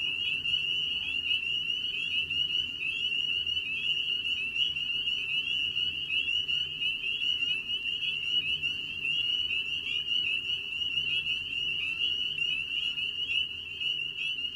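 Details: Spring peeper (Pseudacris crucifer), breeding chorus: males calling in spring to attract mates.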